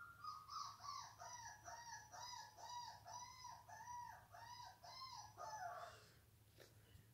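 A Bull Terrier gives a rapid run of high, arched yelping barks, about three each second.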